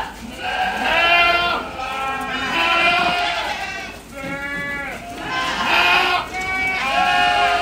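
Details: Ardi goats at a Kuwaiti breeder's, bleating loudly and repeatedly: five or six harsh, quavering cries, each about a second long, following one another almost without pause, with a steady low hum beneath.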